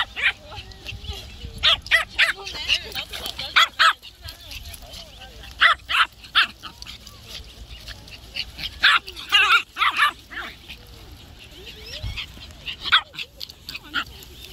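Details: Sable Pomeranian puppy, a newly adopted and very active pet, heard during walk-time play: sharp, short yips and barks in irregular bursts through the recording, mixed with a man speaking Korean and exclaiming.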